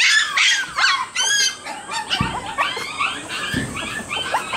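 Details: Outdoor play among Shiba Inu puppies before returning to their mother, one crying to go home: loud, high-pitched yelping whines repeat in quick, irregular bursts, some rising and falling, with a few soft thumps.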